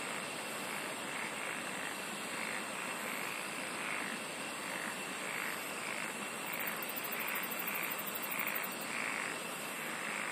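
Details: Singing insects forming a steady shrill drone, with a lower layer of rhythmic pulses repeating about twice a second and a brief burst of very high fast trilling late on.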